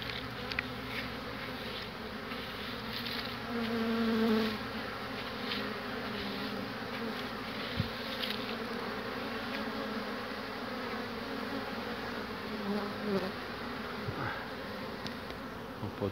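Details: Honey bees around hives on 22 March 2019, coming back with pollen and settling on a hand; a continuous low droning buzz with a louder, clearer passing hum near the middle and scattered light clicks.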